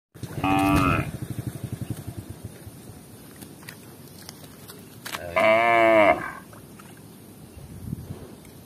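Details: Tame village cattle roaming fields and drinking at a village lake in Indonesia give two drawn-out moos, one short and one fuller and longer about five seconds later, over faint rustling outdoor background.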